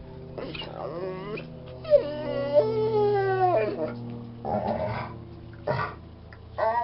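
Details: Bored Bernese Mountain Dog vocalizing: drawn-out whining moans with gliding pitch, including a long wavering, howl-like note that slowly falls, followed by shorter grumbling whines, indoors with a faint steady hum.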